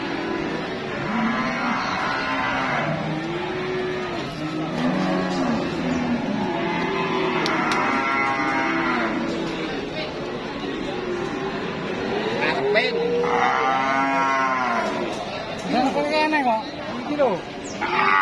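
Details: Cattle for Eid sacrifice at a busy livestock market serving buyers from Jabotabek, Semarang, Wonosobo and Magelang: many animals moo in overlapping, drawn-out harmonic lows, some rising and falling, with steady crowd murmur behind.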